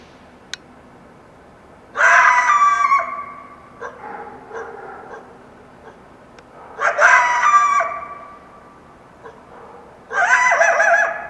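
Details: Coyote in the Washington Cascades foothills at dawn following a full moon night, wild; three loud, harsh, high wavering yelping bursts a few seconds apart, with quieter broken yips between them.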